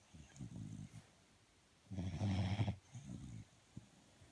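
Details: Sleeping dog breathing noisily, three low rumbling snores in quick succession, the middle one loudest and longest, followed by a small snuffle.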